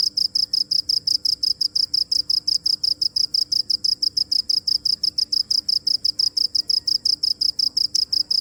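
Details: Cricket calling with a loud, very regular series of high, piercing chirps, about six per second, sustained throughout against a quiet background with a low hum.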